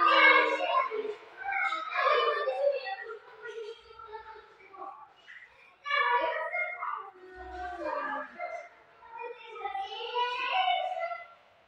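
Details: Two house cats fighting indoors at home trade nasal, harmonic yowls and growling moans. Pitch slides up and down. Loud at first, quieter midway, then swelling again into higher, strained wails.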